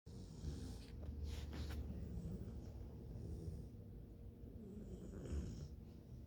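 Bluetick Coonhound puppies snoring, a low rumbling breath sound rising and falling steadily.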